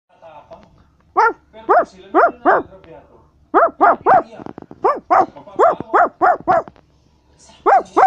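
A Basset Hound barks in quick runs of loud, resonant, slightly arched woofs with brief pauses between bursts.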